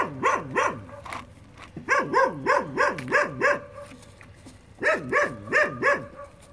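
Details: Young puppies playing at a building site yelp in quick repeated series, high bouncing notes in groups of four to six separated by short pauses.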